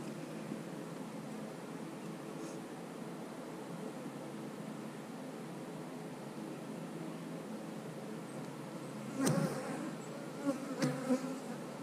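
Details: Honey bees humming inside an opened eight-frame hive holding brood and drones; a constant low drone fills the whole stretch, broken near the end by a few sharp thumps and scrapes of equipment.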